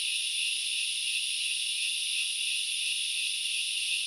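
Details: Unvarying high-pitched sizzle of grasshoppers in forest at Knuckles Reserve, Central Highlands of Sri Lanka, a continuous dense buzz with no breaks or other clear sounds.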